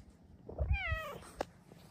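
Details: Indoor female Bengal cat wanting a cat cave made from blankets, meowing in the morning. One smooth, descending meow lasting about half a second, over low thumps and handling noise, followed by a brief click.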